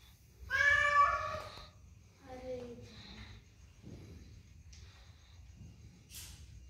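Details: Domestic cat giving one loud, drawn-out meow, then a softer second meow that falls in pitch, with faint scattered noises afterwards.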